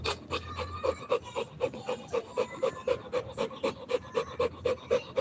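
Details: Playing Rottweiler puppy breathing hard, very regular quick pants about four each second, each a short voiced huff, evenly spaced throughout.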